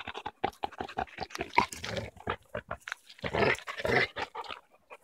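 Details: A Cane Corso panting in quick breathy puffs, about four per second, broken by louder rough snorting gusts of breath.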